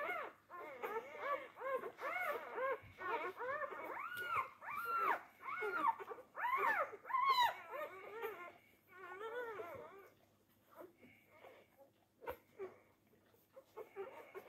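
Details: Newborn Labrador Retriever pups on day four, competing for teats: rapid run of rising-falling squeals and whines, densely layered for about eight seconds, then fading into sparse soft squeaks and small clicks.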